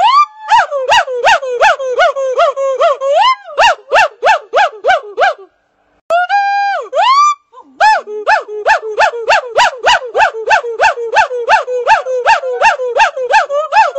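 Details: Red-shanked douc (Pygathrix nemaeus), call.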